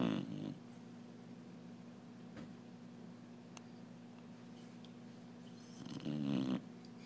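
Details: Sleeping Clumber Spaniel snoring loudly: a rough rattling snore at the start, then a long quiet stretch with a steady low hum, and another harsh vibrating snore near the sixth second.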